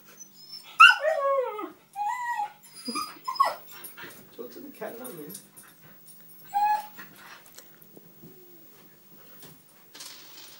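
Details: Pet husky 'talking' to a cat indoors: a string of wavering, yodelling howl-whines that swoop up and down, in short bursts separated by pauses, with softer grumbles and a person's voice in between.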